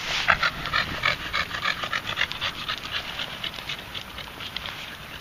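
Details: Moses, a big ginger red Staffordshire Bull Terrier who puts all his effort into walking and so pants a lot: fast, steady, breathy panting, roughly 214 pants a minute, loud at first then easing slightly, no other clear sounds.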